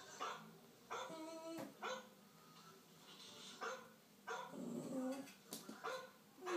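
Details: Indoors, a puppy reacts to a dog on television with a series of strong, ringing barks, single and in quick pairs, separated by brief pauses with faint background sound.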